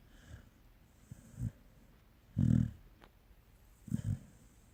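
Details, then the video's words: A Pungsan dog snoring: three short, low, rough snorts roughly a second apart, the middle one loudest and longest, in an otherwise quiet room. "코골이 풍산개"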